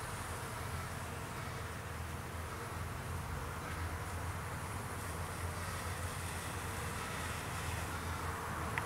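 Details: Foraging honey bees at a farm hive on a May afternoon, coming and going; continuous low humming drone holding an even level throughout, with a few faint clicks and soft background noise.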